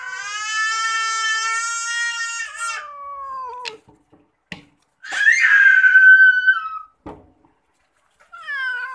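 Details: Pet cat at bath time gives a long, steady, drawn-out meow that sags at the end, then after a pause a louder, rougher wail falling away, with a few clicks and knocks in between.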